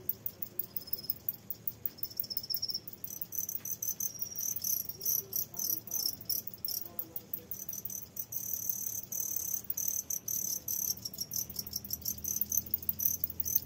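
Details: Farmed crickets kept in a box to be used as fishing bait chirp steadily in rapid, high-pitched pulses; the crickets are laying eggs.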